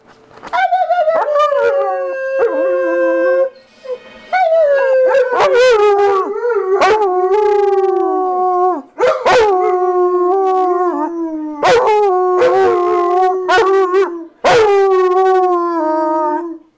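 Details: Two dogs, Nitro and JaKai, howl to welcome their owner home from a hard day at work: long, sustained, mournful howls that slide slightly downward, broken by brief pauses and sharp restarts, with voices overlapping in places.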